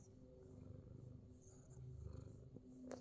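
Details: Fat Boy, a Himalayan Persian cat in New Zealand, purring during a full body massage; a low, steady rumble with soft rhythmic pulses and faint rustling of handling.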